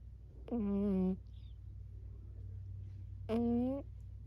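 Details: Sleeping Burmese cat giving cute little vocal noises, two clear tonal mews about three seconds apart, each a sustained nasal tone with a slight upward bend at the start, over a constant low-frequency hum.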